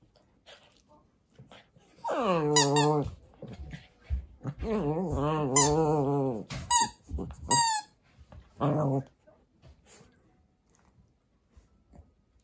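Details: Kotetsu, a Papillon-Corgi mix dog in Japan, plays indoors with a rice ball toy. Drawn-out, low, harmonic growl-like vocalizations last about a second each, mixed with sharp high squeaks from the toy and brief pauses.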